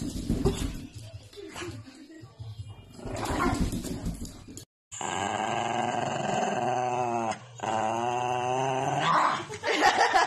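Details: Angry dog giving a long, steady, droning growl that holds for several seconds after a scrappy opening of mixed noise, with one short break midway.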